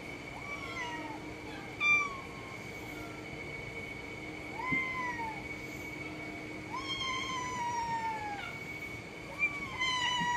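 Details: Cat meows, short rising-then-falling calls repeated several times and a longer descending wail near the end, with a few soft clicks and a steady tonal hum behind.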